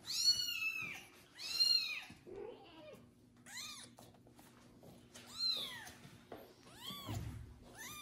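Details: A freshly bathed kitten, Kubik, cared for and licked by a foster mother cat indoors, gives strident rising-falling meows, some long and strained, others short, with soft rustling between calls.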